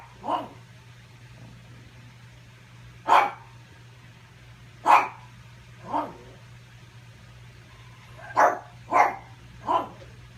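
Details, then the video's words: Pug barking at its own reflection while trying to get its ball; seven short sharp barks in an irregular series, some paired, with a steady low hum underneath. "Sometimes I spend the afternoon barking at my reflection trying to steal my ball."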